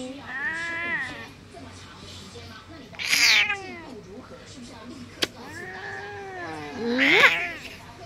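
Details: Cat, 14 years old, in Taoyuan, Taiwan, on February 19, protesting her owner's kisses and hugs with two loud, sharp meows that dip and rise, amid soft speech and a brief click.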